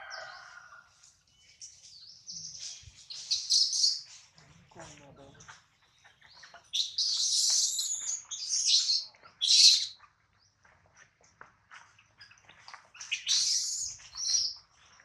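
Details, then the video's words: Hungry baby monkey named Adler, missing his mother and held in a small monkey's hands, lets out repeated shrill high squealing cries in bursts of one to two seconds, separated by short quiet gaps, with a faint lower sound at the start. "POOR BABY MONKEY CRYING IN HANDS OF SMALL MONKEY BABY MONKEY ADLER MISSES HIS MOM AND HUNGRY"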